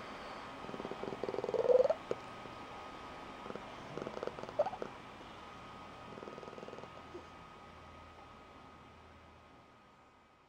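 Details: A female Blue Point Tonkinese cat gives her special squeaky, high-pitched trilling purr in short uneven bursts, as she does each morning when waking her owner or when excited. The breeder says it is unique to her mother's line.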